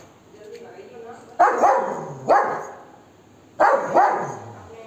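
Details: Golden Retriever barking aggressively at monkeys to chase them away. About five sharp, harsh barks arrive in quick pairs and singles, with quiet gaps between them. A few spoken words are heard nearby.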